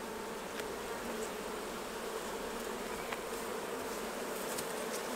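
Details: During a honey harvest from managed hives, a thick, unbroken buzz of many honey bees holds at a steady level, with faint light ticks scattered through it.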